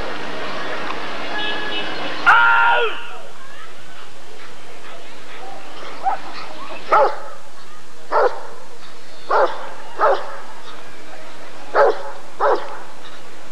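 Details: Rottweiler at the 1994 ADRK Körung breed survey: after a sharp loud burst, a run of deep single barks spaced about a second apart, with a steady background hum.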